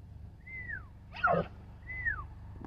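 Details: Bull elk in Colorado responding to a human whistle with a weird noise: a brief, harsh squealing grunt between two smooth, high, falling whistles.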